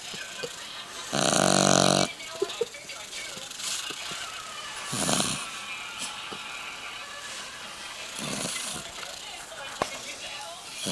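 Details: Sleeping boggle puppy, three months old, snoring in a human-like way. A loud rasping inhale is followed by softer breathy snores recurring every three seconds or so, with faint clicks between them.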